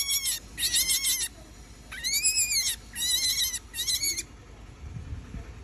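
A young rabbit gives a run of high, thin squeaks in short bursts.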